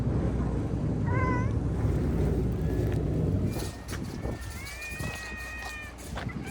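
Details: Free-roaming domestic cat on Manabe Island, a cat island in Kasaoka, Okayama, Japan, in the Seto Inland Sea in March. One short meow comes early, then a longer drawn-out, level meow later, over a steady low rumble.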